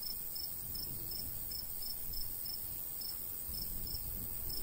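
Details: Summer countryside cricket chirping beside a golden wheat field in a light breeze: bright, evenly spaced high pulses roughly every third of a second, a continuous thin high hum, and soft wind rumble underneath.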